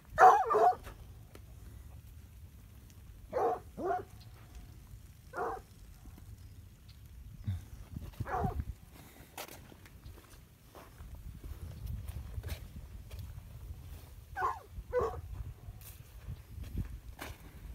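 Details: Plott hound named Elvis on a farm, herding dairy cows and calling them in: loud single barks and quick pairs of barks, separated by pauses of several seconds, over a low steady rumble.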